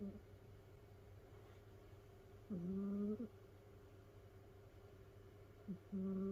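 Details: Snoring from a domestic cat asleep among several rescued housemates in a cat pile: two drawn-out whistling snores a few seconds apart, each a flat, slightly wavering tone, against a steady low electrical hum.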